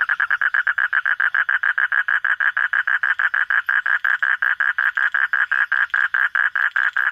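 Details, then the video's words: Frog calling after dark, recorded while hunting frogs at night: a steady, loud train of short, evenly spaced mid-pitched pulses, roughly five per second, unbroken for seven seconds. "hunting for frog sounds at night"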